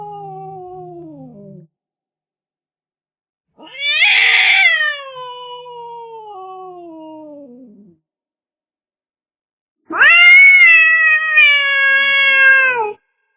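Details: Three long, plaintive cat meows, a crying cat. A low, fading cry is followed by a loud, harsh meow that slowly slides downward, then a sustained, strained wail that ends abruptly.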